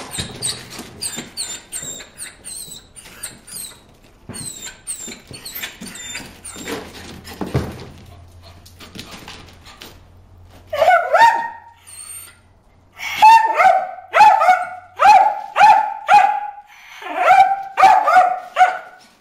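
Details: Bruce the dog barking at fish in a water hole: after a stretch of faint rustling and high chirps, sharp barks begin, coming in a steady run of about two per second.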